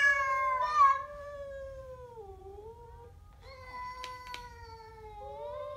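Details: Growling Siamese cat facing a stray: a drawn yowl that sags lower and fades, then a fresh steadier yowl broken by two sharp clicks, ending on a rising note.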